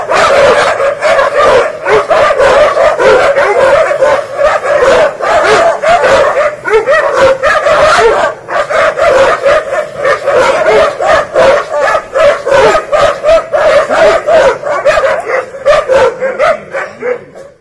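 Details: Dogs locked in a territory fight give a relentless volley of rough barks and shrill yelps, many per second and irregular, the barking thinning and fading toward the end.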